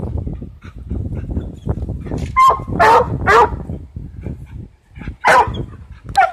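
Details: Coonhound going after a cat gives a few brief, ringing bays in two short bursts, partly covered by heavy low rumbling and scuffling noise.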